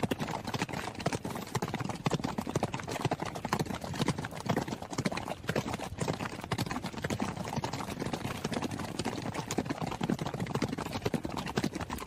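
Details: A running horse: a dense, fast patter of hoofbeats, hard thudding strikes overlapping one another with no pauses across the whole stretch.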